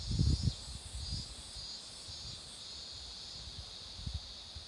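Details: Cicadas singing beside a road where marigolds are in bloom: a steady, unbroken high buzzing drone with faint pulsing, under low rumbling wind and handling thumps, strongest in the first half-second.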